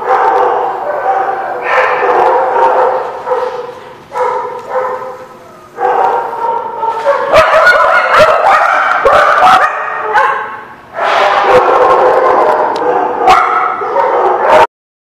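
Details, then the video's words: Nearly continuous barking at The Barking Lot, recorded 13 March 2017. Overlapping harsh barks and yips run rapidly and irregularly, with only brief lulls near 4 and 10 seconds. Human voices may mix in, and the barking stops abruptly at the end. "The Barking Lot"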